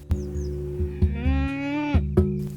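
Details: A cow in a herd of buffaloes and cows passing through a meadow near a white-tailed lapwing colony in semi-desert near Kyzylagach National Park, Azerbaijan, gives one drawn-out, slightly rising moo of about a second over a low droning musical background.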